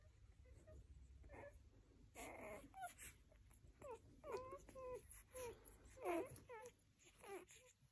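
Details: Several Rhodesian Ridgeback puppies give thin wavering whimpers and squeaks, quiet at first, then a run of overlapping short whines in the second half over a low background hum.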